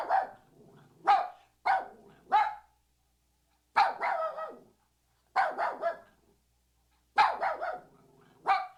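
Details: Puppy barking in short, high, sharp yaps, mostly in pairs or quick triplets separated by pauses of about one to one and a half seconds; no other sounds.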